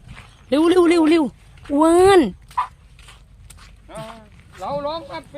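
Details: Elephant calf in Thailand refusing to move as a herd of buffalo approaches, having run from its mahout out of fear of the buffalo; two loud, drawn-out, arching harmonic cries, then shorter fainter cries, with people talking nearby.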